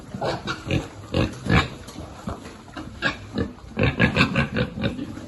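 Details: Piglet being fed in a pig farming group: quick strings of snuffling grunts and higher squeals, roughly two or three a second and clustered in bursts, over feeding noise and shuffling.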